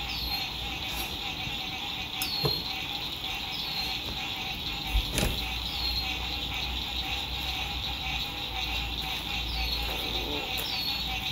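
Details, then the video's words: Spring 2021 sunset by a lake at an RV campsite, frogs in full song: an unbroken shrill chorus with small falling chirps recurring every second or two, occasional sharp knocks, and a constant low road hum. "Sunset Frog Songs"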